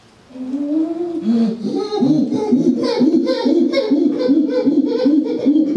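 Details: Chimpanzees at a sanctuary giving a rhythmic series of harmonic hooting calls, about two per second, building in loudness and becoming more rapid and excited as the sequence goes on.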